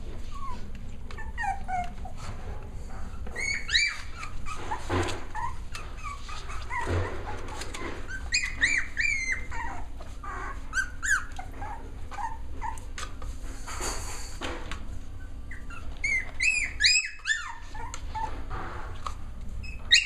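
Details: Six-week-old Cavalier King Charles Spaniel puppies at playtime indoors, giving bursts of high, sharply bending yips and squeaky whines in clusters, with quiet gaps, soft rustling and knocking between bouts.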